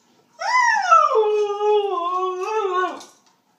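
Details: Siberian husky Ruby voices her impatience as her dinner is prepared: a single loud, clear, harmonic howl of nearly three seconds, rising sharply, dipping, holding a wavering middle pitch, then curling down at the end, in a quiet room.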